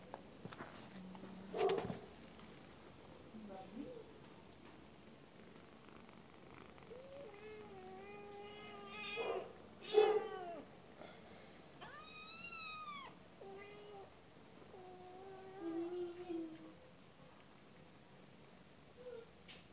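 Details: Cat meowing several times, drawn-out harmonic calls rising and falling, with some higher bent cries near the middle and a few soft grunts, plus brief knocks and faint background noise.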